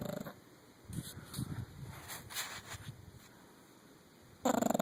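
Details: A 9-year-old female English Bulldog snores in low, rough rumbles, with a louder snort-like sound at the end.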